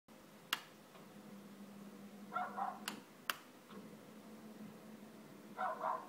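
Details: Dog barking at roller shutters: two short bursts of muffled barks, each a quick pair or triplet, about three seconds apart, over a steady low hum with a few sharp clicks.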